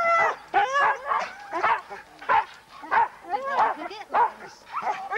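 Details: Husky at a sled dog race weekend in the Forest of Dean, England, November 2001, recorded on VHS tape: excited, loud harmonic yelps and barks, roughly eight bursts about every half second, some bending upward into whine-like tones.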